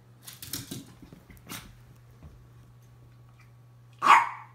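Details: Miniature Pinscher giving a single sharp, loud bark near the end, preceded by a few fainter scuffling and knocking sounds and a steady low hum.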